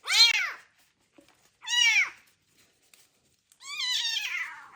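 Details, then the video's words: Abandoned kitten with ringworm, found in a box on the street, meowing loudly during its first bath in medicated shampoo: three long, strained, downward-bending meows about a second and a half apart, the last one drawn out and wavering. "First bath for a kitten found with ringworm that was abandoned on the street / meows loudly"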